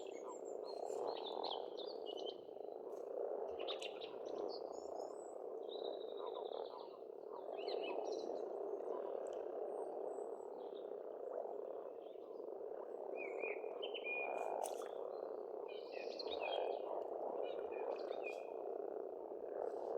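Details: Spring frog chorus at a farm pond in Estonia, a steady churring drone of many overlapping croaks, while several birds add scattered high chirps and short whistled phrases above it.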